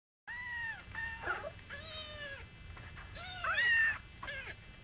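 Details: Singapura kittens, grown quite big, with their small mother Mii, meowing indoors. Several high, thin meows overlap and rise and fall in pitch, one louder drawn-out cry near the end.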